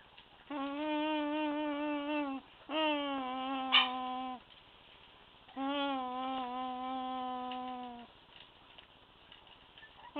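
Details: Month-old Staffordshire Bull Terrier puppies, two males and three females of English line, whining in three long, steady, slightly falling drawn-out cries of about two seconds each, with a brief click between them.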